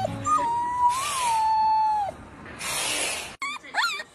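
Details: Puppies howling: a long, wavering, tonal howl holds steady then dips before breaking off, followed by breathy noisy bursts and a few short, rising whine-like yelps near the end.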